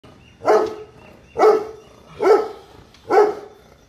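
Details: A European Dobermann guard dog in India barks aggressively four times, deep and forceful, roughly one bark every second.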